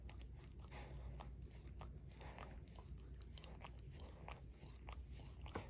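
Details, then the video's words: Barry, a two-years-adopted Shorkie, works at his paw with moist tongue clicks and soft slurps, several per second, recorded close and low in level without talking. "Barry Licks His Paw ASMR DOG LICKING"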